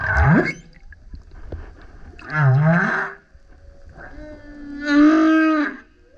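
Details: Loud song of a male humpback whale coming up next to a kayak: three separate units, a sharp rising swoop, then a wavering low grunt, then a sustained harmonic howl, with short quiet gaps between them.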